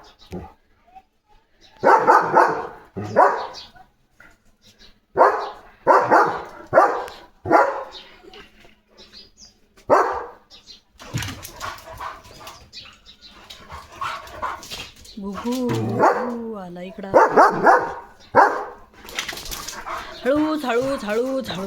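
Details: German Shepherd named Leo in guard mode around a parcel delivery, giving loud, short barks in clusters of two to four every few seconds, with a person talking between bursts and more speech near the end.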